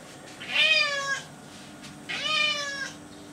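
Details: Florence the cat, a pet walking around her kitchen indoors, gives two drawn-out meows about a second and a half apart, each bright and harmonic with a slight rise then fall in pitch, over a faint steady room hum.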